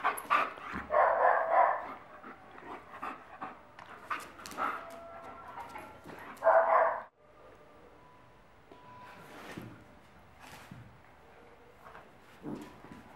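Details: Playful Akita dog: rough, gruff growl-barks in bursts during the first seven seconds, then quieter scattered grunts and whines, with a woman speaking Spanish at the start.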